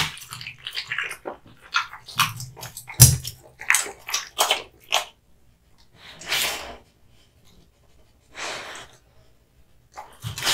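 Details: Kotetsu, a male American Bully (Pit Bull) born 2016, eats hung raw meat and bones indoors: a run of sharp, crunchy bites and wet smacks, in bursts about every half second, with brief quiet pauses between chewing spells.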